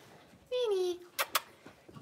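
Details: Six-week-old blenheim Cavalier King Charles Spaniel puppy from a litter of five in an indoor puppy pen gives a single half-second whine that slides gently downward, followed by two sharp clicks and faint room noise.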